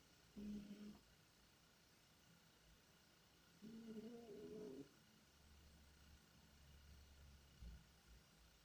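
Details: Tikhon the cat, asleep and dreaming, snoring, sniffling and moaning in his sleep: two short voiced groans, the second longer with a slight rise, then a soft low rumbling breath over steady background hiss.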